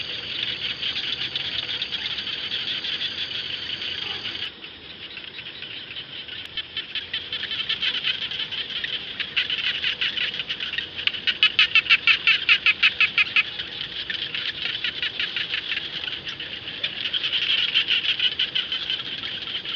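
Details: Frogs, the kind locally called jana, calling across rice fields: a dense, high-pitched rapid pulsing chorus with overlapping rattling trills that swell into louder clicking bursts around the middle and again near the end.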